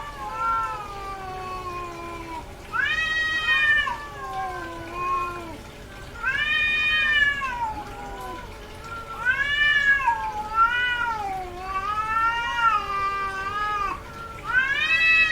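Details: Female cat in heat yowling repeatedly: a series of loud, arching, harmonic cries every two to three seconds, each swelling up then falling, with a low moaning undertone between them.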